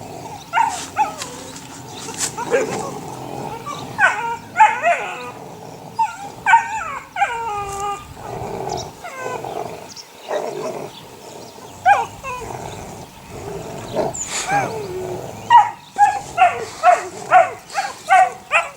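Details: A litter of six eight-week-old puppies, offspring of the neighbour's dog Sunny, yipping and whining in irregular bursts, high squeaky cries coming thick and fast toward the end.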